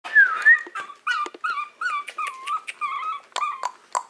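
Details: Maltese from the Herzen rein kennel whining to be let out: high, wavering whimpers rising and falling, the first long and sweeping, then a run of short, quick nasal whines in uneven rhythm.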